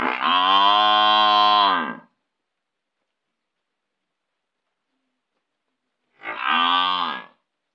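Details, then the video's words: Buffalo kept as a village animal lowing twice: a sustained two-second droning moo, then silence, then a shorter, rougher moo of about one second. "buffalo sound buffalo ringing buffalo"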